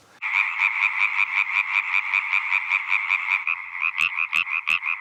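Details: Male European tree frog song of the kind females prefer, low-pitched, loud and fast; rapid, even train of nasal croaks, about two or three per second, with a second caller's sharper clicks joining near the end.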